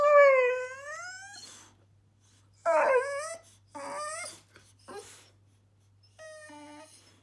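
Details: Millie, a bored Boxer dog, talking in drawn-out wavering moans, one long sliding whine followed by shorter warbling yowls and a final thin whine, with silent gaps between; faint steady hum in the background.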